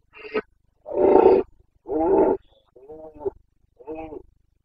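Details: Carpathian red deer stag bellowing in the Bucovina mountains, Romania, during the late-September rut: five guttural roars in roughly even succession, about one per second, the middle ones longest and loudest, the last two fainter and more broken.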